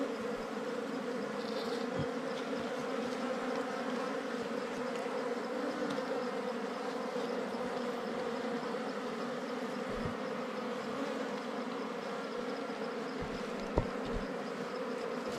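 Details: During a search for wild ground and cavity bees, a thick, unvarying buzz from the colony fills the whole stretch, with occasional faint ticks and thuds of movement.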